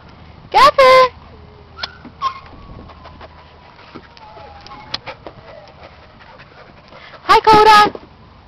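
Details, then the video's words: Dog at playtime on May 19, giving two short, loud, tonal yelping barks, one near the start and another near the end, with faint thin whines and scattered soft clicks and knocks in the quiet stretch between. "Dog Playtime"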